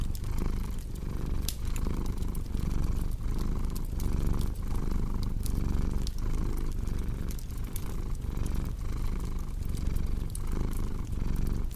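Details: Steady, throaty cat purring that rises and falls with each breath in a regular beat, accompanied by scattered crackling from a fireplace.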